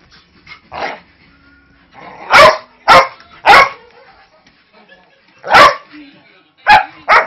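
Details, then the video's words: Playful yet aggressive-sounding barking from a five-year-old Manchester Terrier mix wrestling a three-month-old husky-lab mix puppy; a quiet yip, then bursts of loud, rough barks in quick pairs and threes with brief pauses. "very vocal (but harmless) Terrier mix"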